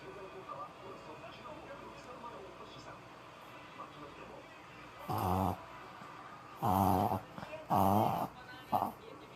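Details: Papillon dog named Maron in old home footage of a reverse sneezing episode: four loud, harsh snorting bursts in quick succession, each about half a second long, after a stretch of quiet murmuring voices.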